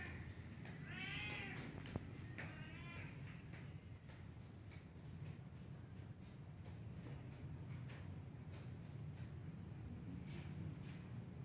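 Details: Two drawn-out arched meows from a black cat in a tree open the passage, followed by faint clicks and a steady low background rumble.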